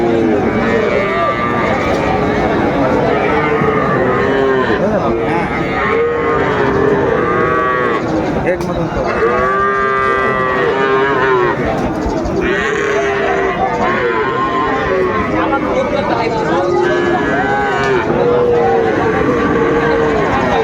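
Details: Sahiwal bull calves at a busy cattle market in Mymensingh, Bangladesh, on 30 May 2024: repeated harmonic moos rise and fall throughout, several overlapping callers, over a constant crowd din of voices.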